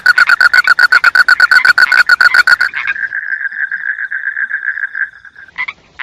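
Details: Frog calling in a rapid train of pulsed, rattling croaks, about four per second, for nearly three seconds. It then switches to a steadier, sustained buzzing trill that fades out, followed by a couple of brief chirps.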